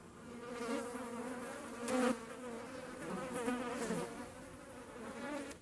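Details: Hornets making room: buzzing wings drone at a low pitch, rising and falling in loudness as insects move closer and away, loudest near two seconds, with a few softer swells later.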